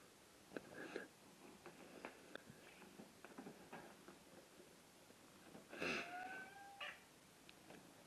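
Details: Domestic cats playing wildly indoors: soft scuffles and taps, then a short bright meow near the sixth second and a brief second meow shortly after, over quiet room noise.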